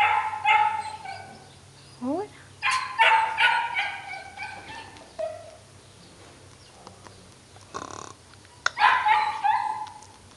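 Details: Chihuahua puppy bred at Hotelcan, greeted with soft words; several short high yelps and whines in bursts, a rising squeak near two seconds, quiet gaps, then a final cluster of yelping cries.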